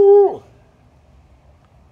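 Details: A dog gives one short 'awoo' howl that is cut off sharply. It is a steady, mid-pitched, ringing tone lasting about a quarter second, then slides downward. Near silence follows until a person begins to speak.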